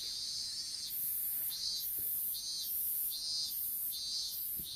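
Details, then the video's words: Insects calling in an open-field strawberry bed, picked up by a smartphone dropped during seedling planting: high hissing buzzes swell and fade in regular pulses about every second, over a steady shrill whine. "虫の鳴き声in いちご畑"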